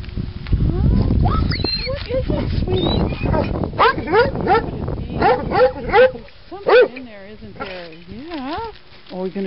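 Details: Hunting dog frantically digging after a chipmunk, a pursuit lasting over an hour: scraping and digging noise at first, then high, wavering whines and sharp rising yelps in quick bursts, with a woman talking softly to the dog.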